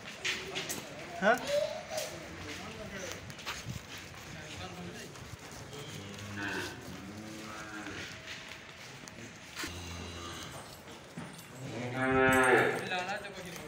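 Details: Friesian-Jersey heifer calves, fourteen of them, with people talking throughout and short low lowing sounds, then a loud rising moo near the end.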